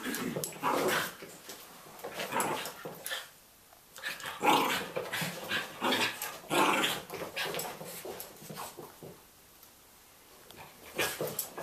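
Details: Border Terrier, once nervous around other dogs, learning to play with a Chihuahua; bursts of rough growling and huffing in uneven bouts, each lasting about a second, separated by short quiet gaps indoors.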